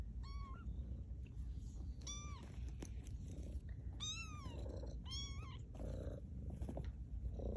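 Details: Two-week-old kittens of Maude learning to walk at Baystate Animal Cooperative; a run of five shrill mews, some arching up and falling, fairly evenly spaced, with a steady low rumble and a sharp click underneath.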